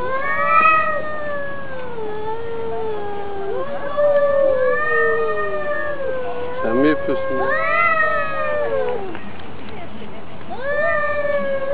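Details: Two cats fighting in a neighbourhood quarrel, a string of rising and falling caterwauls, each a few seconds long, with a burst of harsher noise midway and a human voice in the background.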